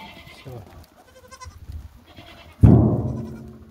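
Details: Laroui goat, a Moroccan breed kept by farmers: after soft background talk, one loud, sudden bleat breaks in and fades with a falling, wavering tone.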